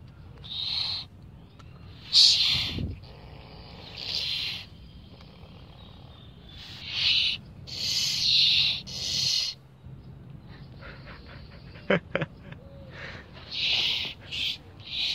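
An angry opossum gives repeated harsh, breathy hisses, each lasting about a second.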